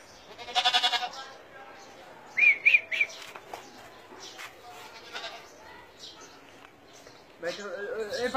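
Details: Kashmiri goat bleating in short nasal, harmonic cries, one early, a wavering one near three seconds and another at the end, amid men talking in Bengali about letting the goats fight.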